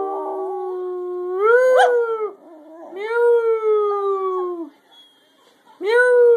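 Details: Scruffy the dog sings in long mournful howls. A low steady tone rises into a louder peak, dips, then a second sustained howl slowly falls away. After a silence, a fresh howl starts abruptly at the end.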